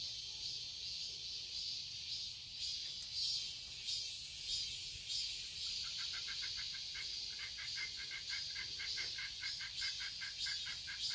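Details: Cicadas in a garden in Seoul, Korea, in summer: a steady high, hissing drone throughout, joined after six seconds by a lower series of rapid, evenly spaced ticking pulses that continue to the end.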